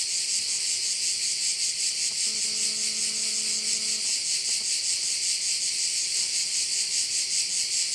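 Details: Cricket chorus over a Korčula bay, Croatia: a shrill, rapidly pulsing high drone throughout, joined by a faint steady low hum and a brief low humming tone for about two seconds in the middle.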